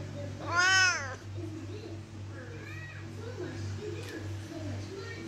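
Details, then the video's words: Siamese cat, described as loud, asking to be let out of the room with a single bright, arching meow right at the start, then quieter short cries against a constant low hum. "My loud siamese cat wants to go out of the room"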